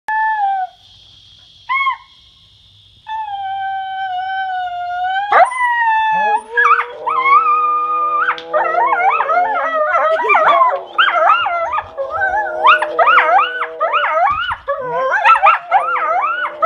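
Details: Tame coyote giving long, steady, high howls with short breaks, then a rapid run of wavering, quavering yips and warbles that rise and fall in quick succession; no other clear sounds.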